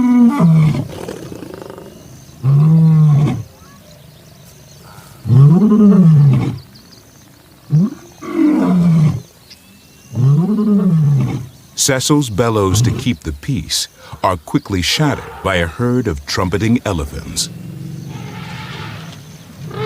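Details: Lion of an African pride grunting out a run of deep, hoarse roars, each rising and dropping, spaced two to three seconds apart, followed by a stretch of male narration and quiet background hum.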